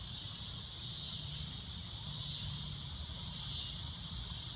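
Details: Cicada droning at sunset: a loud, shrill, continuous hiss-like buzz held steady throughout, with a low rumble beneath.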